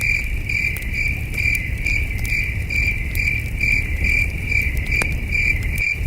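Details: Night-time crickets at a peaceful camping site under the stars: an even train of shrill pulsed chirps repeating roughly every half second, scattered campfire crackles and a soft low background rumble.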